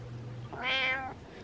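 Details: Night-time attention meow from Butters, a pet cat: a single long, bright meow lasting about 0.6 seconds, swelling in the middle and trailing off, over a faint low electrical hum.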